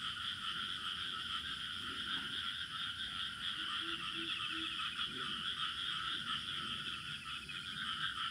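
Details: Rural village soundscape dominated by crickets, their shrill trill held steady and unbroken at high pitch, with a brief series of low frog croaks midway and soft background rumble.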